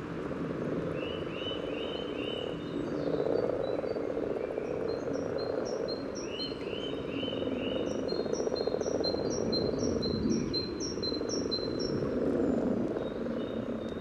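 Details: A courtship chorus of common frogs at a spawning pond in Sunnersta, Uppsala, picked up by a parabolic microphone near the water surface. Continuous low, murmuring croaks form the background. A bird repeatedly sings quick, high, falling whistled phrases over them.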